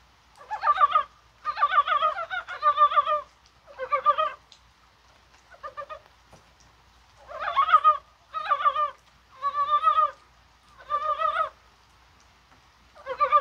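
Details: Chorus of Korean brown frogs in January rain on a warm, spring-like day, likely spawning; rattling, pulsed croaks come in closely spaced bursts, roughly one per second, some overlapping.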